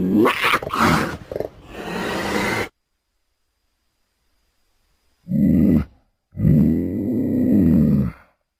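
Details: A cougar of the extinct Eastern subspecies gives rough, breathy snarls, then two low, drawn-out harmonic yowls.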